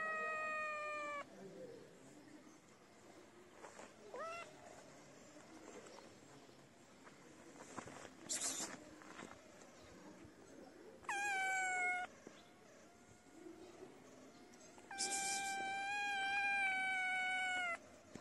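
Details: Feral kitten crying for food, its mother sniffing nearby: a few long, slightly falling meows spread over the recording, with quiet rustling and scraping between them.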